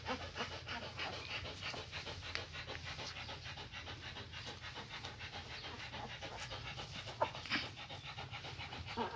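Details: Rapid rhythmic panting from German Shepherds, mother Max with her puppies as they return to her, soft breathy bursts a little over three per second, fairly uneven, with faint background hum.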